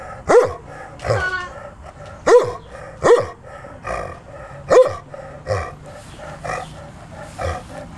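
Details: Sam, a male Newfoundland dog just turned 12 and filmed in June 2009, barks repeatedly. Loud, deep, chesty barks come at uneven intervals over about eight seconds, with softer barks between them.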